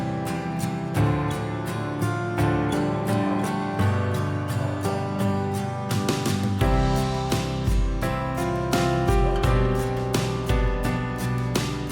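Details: Gentle instrumental music with strummed and plucked acoustic guitar and a steady low bass line runs throughout, with no animal sound.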